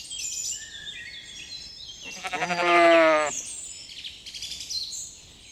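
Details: Lambs grazing in a cool green forest: one lamb gives a single wavering bleat of about a second, set among high chirping birdsong that runs before and after it.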